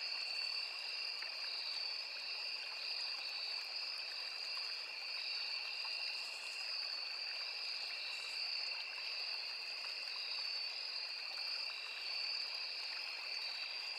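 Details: Forest insects by a small river, with crickets named among them: continuous shrill, even-toned buzzing in two layered high bands that never pauses, and a soft stream hiss beneath.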